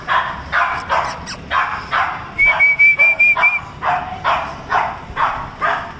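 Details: Cocker Spaniel puppies, male and female, in Bangalore give rapid, high yips and barks, with a brief whistled note midway.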